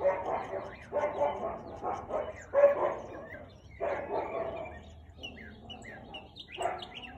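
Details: Siberian Husky barking, 4:17 pm on 13 March 2021: six heavy, rasping barks roughly every second, then a pause and one final bark, while small birds chirp faintly behind.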